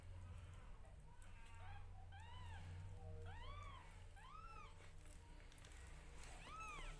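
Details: Newborn kittens calling out as their mother grooms them: a run of high, arching mews, each rising then dropping, roughly one every second, loud and plaintive against a low indoor hum.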